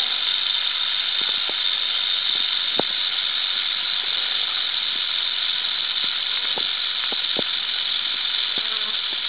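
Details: Huge adult timber rattlesnake, a big male at a den site: a continuous, steady, dry hissing buzz runs unbroken through the whole stretch, with a few faint scattered clicks beneath it.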